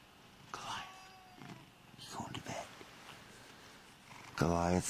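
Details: Lynx hybrid pet cat indoors at bedtime: soft rustling and faint voices, then a loud, harmonic-rich meow bursts out near the end, strong and sustained for half a second.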